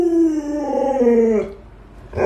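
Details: Luoluo, the household Alaskan Malamute that babysits its little owner, howls for about one and a half seconds. The pitch sags downward, then the howl cuts off before a brief loud burst at the end.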